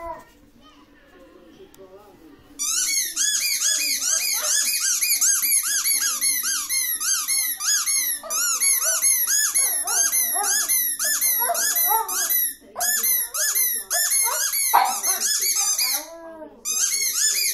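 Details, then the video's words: Male Shih Tzu named Horlicks after a quiet start: a long, fast run of high, harmonic-rich squealing whines, each note arching up and down, about two per second, with brief pauses near the end. "Shih-tzu and noise"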